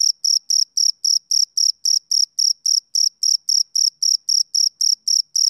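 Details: Steady shrill pulses from a male cricket on a summer evening, around twenty evenly paced chirps, slightly under four each second, bright and uniform with no competing noise.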